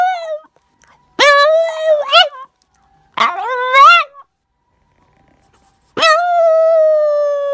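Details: A dog wakes from sleep and howls: three drawn-out, tonal, harmonic howls, the first and last steady and long, the middle one wavering and rising, separated by short silences.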